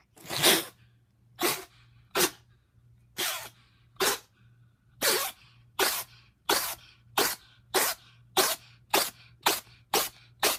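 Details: Female pet cat Toto with a bad sinus infection in a sneezing attack indoors: about fifteen sharp, explosive sneezes in ten seconds, coming closer together toward the end.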